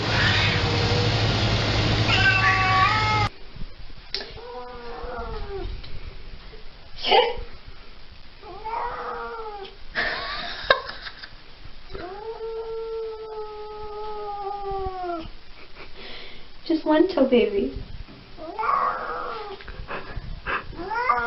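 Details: Domestic cat in a funny compilation giving a run of arched meows and one long steady wail, with music at the start and human voices between calls.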